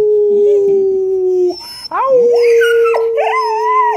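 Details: Pet dogs howl in answer to their owner's howling; a steady low drone runs through the first second and a half, then rising, wavering dog howls with bright overtones climb in and hold.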